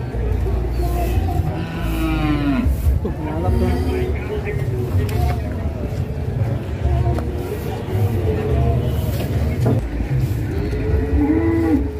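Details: Repeated bellowing moos from fat cattle raging as they are loaded onto a truck, some rising then falling, spread through the recording over a heavy engine rumble and clattering.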